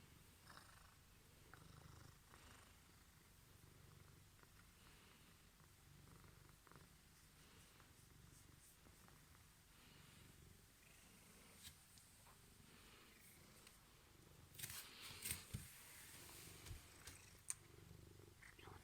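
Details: Misha, a male Ragdoll cat born 23 April 2015, purring indoors after being left home alone, as he is praised and offered Crispy Kiss treats; a soft, steady low rumble with scattered clicks and rustles.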